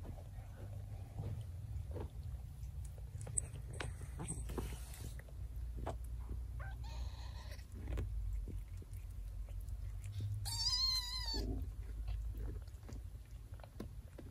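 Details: A mother cat carries one of her kittens in her mouth. One high, wavering mew lasts about a second, with strong layered overtones, over a low rumbling background and scattered soft knocks.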